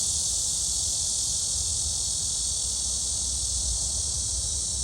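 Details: Cicadas singing at Gwangalli Beach, with dragonflies about: a steady, dense, high hissing drone that holds unbroken for the whole stretch, with a low rumble of background noise underneath.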